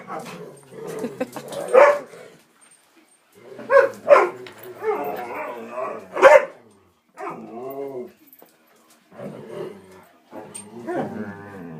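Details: Three domestic dogs very vocal in excited play as walk time nears, giving clusters of rough barks and growly grumbles, short whining moans in between, pauses of near silence between bursts.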